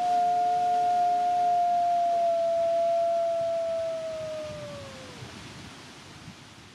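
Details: Two captive-born Canadian/Rocky Mountain gray wolves, siblings at the Wolf Conservation Center in South Salem, New York, howl together in a duet: one long, steady tone over a briefer, lower second voice.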